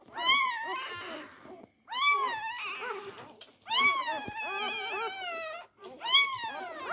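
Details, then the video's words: Four-day-old Labrador Retriever puppies fighting over their mother's teats. Long, high, wavering squeals with rich harmonics come in three drawn-out bursts separated by short silences, each cry sliding up and then down. "Die Labrador Welpen am Tag 4. Kampf um die Zitzen."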